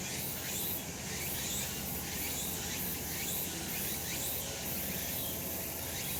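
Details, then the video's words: Cicadas calling on a sunny summer mountainside: a dense, steady high buzzing fills the air, with brief louder hissing swells about every second or so over a soft low rumble. "セミの鳴き声 夏の山 日なた"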